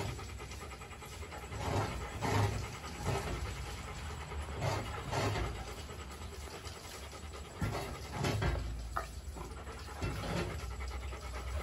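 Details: Kenneled Rottweiler puppies named Bruno and Dora. Breathy panting comes in uneven bursts about every two to three seconds over a steady low hum.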